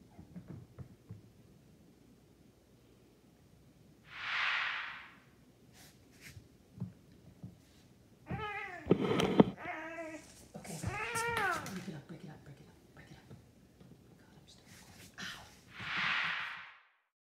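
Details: Siamese Munchkin cats, an adult and a kitten, playing together with a feather toy indoors; a burst of bright, harmonic meows midway, several short cries in quick succession, with soft rustling and thumps of play before and after.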